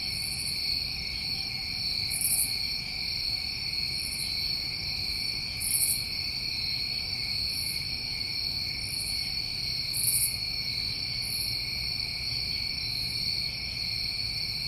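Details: Summertime crickets in New England keep up a seamless, high-pitched trilling drone, while sharper, very high buzzy bursts from other insects repeat irregularly every one to two seconds.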